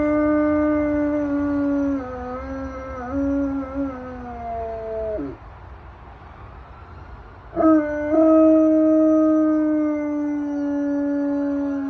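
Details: Domestic dog howling at passing sirens and fire trucks: a sustained harmonic howl with small wavering steps, dropping sharply and breaking off near five seconds, then a quiet pause before a second long, level howl resumes.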